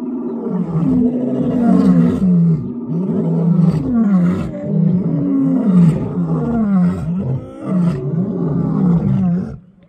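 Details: Lions in the wild in South Africa give low, rumbling roars, each sliding downward, overlapping one another in a steady rolling sequence that briefly dips near the end before fading out.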